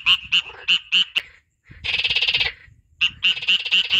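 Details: Frog calling in the wild nature of Kurdistan: short harsh croaks repeated about every quarter second, a longer rasping trill in the middle, then more rapid croaks; no other sounds stand out.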